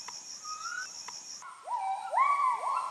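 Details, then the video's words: Müller's gibbon (kelempiau) in the Heart of Borneo forest, Kapuas Hulu; a faint level whistle, then louder rising slurred hoots toward the end, with an insect drone and brief clicks. "The Amazing Sounds of Kelempiau"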